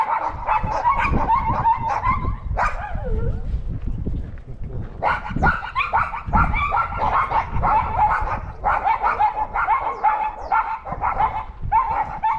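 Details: Several pet dogs bark at a disliked neighbour's dog that had raided their yard and food, recorded August 17, 2022; dense, overlapping harsh barks with a rough, growly low edge and a brief dip partway through.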